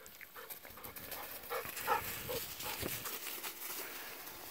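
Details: Pet Golden Retriever, hot after running about, cooling off in an irrigation canal and rolling on the ground, recorded November 7; rapid breathy panting, about two to three huffs per second, mixed with snuffly grunts over faint outdoor background.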